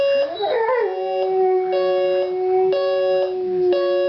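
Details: Oscar, a pet dog, howls at a beeping alarm clock, a rising yip sliding into a long steady howl that carries over the regular electronic beeps.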